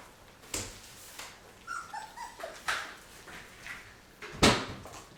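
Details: Labrador retriever puppies at 23 days old, starting on puppy food: a few short, thin whimpers that dip in pitch midway, set among sharp clicks and knocks from the feeding dish and a nearby voice.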